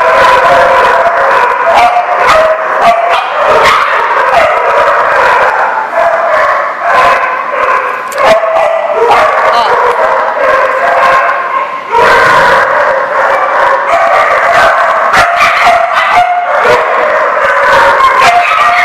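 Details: Several dogs bark together nonstop, a loud, busy clamour of overlapping barks and yips, with a brief lull near the middle before the barking swells again.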